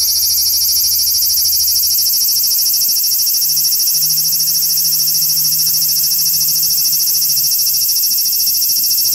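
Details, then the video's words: Large brown cicada singing on a tree branch in a park just after 6 pm in the evening: a loud, continuous high buzzing drone with rapid regular pulsing, steady throughout, over a faint low hum. "アブラゼミの鳴き声２（夕方の鳴き声）Large Brown Cicada"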